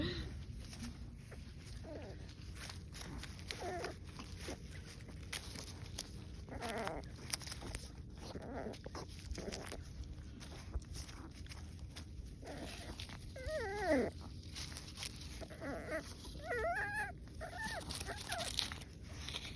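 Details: A French Bulldog puppy gives high, wavering whines and squeaky yelps while a person talks nearby, telling it not to chew on something.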